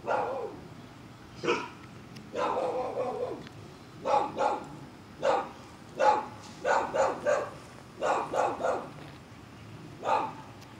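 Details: German Shepherd, described as scared, playing a find-it sniffing game at a kennel in Liberty County, Georgia, barks about a dozen times: sharp, harsh barks, single or in quick pairs and triplets, with short pauses between bursts.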